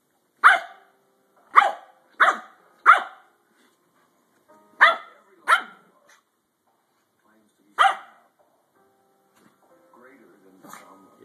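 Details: Pudgy the pet Shih Tzu, protesting at being touched, fires off short, shrill yaps. Four come quickly, then a pair and a lone one after a pause. Faint murmuring follows near the end.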